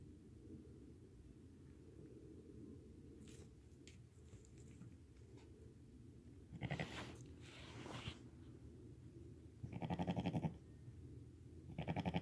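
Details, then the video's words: Newborn lambs, born that day and under five hours old, walking and nursing beside their mother; several short, wavering bleats with a pulsed, tremulous quality arrive in bursts against a low, steady background rumble. "Newborn lambs walking, crying, and nursing with mother"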